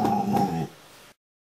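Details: Rottweiler making a short, low, droning grumble as it is cuddled indoors, then fading, after a woman's soft praise.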